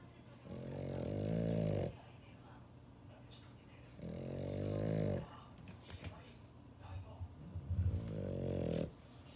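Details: A dog snoring: three rasping, low, droning snores about a second and a half long, each separated by roughly two quiet seconds, in a small quiet room.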